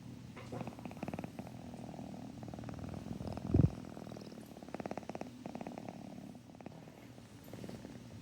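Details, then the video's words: Rum the cat purring continuously as a low, finely pulsed rumble, with one short louder low burst near the middle; another household cat is sniffing and snoring close by. "Rum purring"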